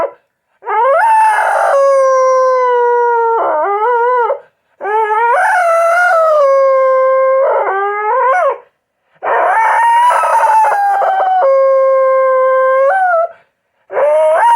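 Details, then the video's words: Pet house dog giving repeated long howls, each wavering and rising before settling into a sustained tone and sliding away, separated by brief silences. "Sounds of a House Dog"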